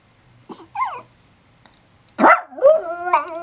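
A domestic dog opens with two brief, squeaky yips and whines. After a pause it launches into a sustained, tuneful howl that slides upward in pitch and wavers as it holds the note.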